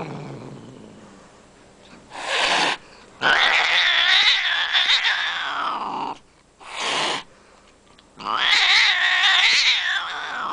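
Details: Cat caterwauling in long, wavering yowls that bend up and down, with two short breathy hisses cutting in between the drawn-out cries.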